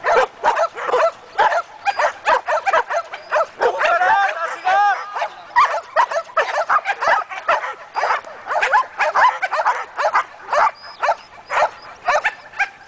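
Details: Sustained, forceful barking from a year-old Belgian Malinois during guard and protection training: a dense, irregular stream of rough barks with a few drawn-out, tonal yelps near the middle.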